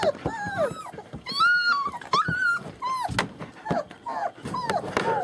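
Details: German Shepherd puppies from a litter born 28 January 2015, recorded 21 February 2015 at a kennel in Mayo, Florida: overlapping high, arching whines and yelps, some sliding down, with faint voices and indoor shuffling beneath.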